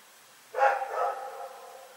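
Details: Rex, a dog, barking at night, recorded on 27 February 2018: a single harsh bark with a trailing, slightly drawn-out tail, standing out clearly over a quiet background.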